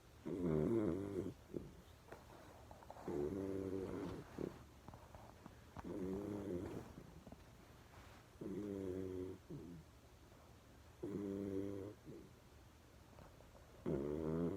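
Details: Berry, a pet dog asleep with half-open eyes, snores rather loudly: steady buzzy harmonic rumbles, each about a second long, recurring about every two and a half to three seconds in a quiet room.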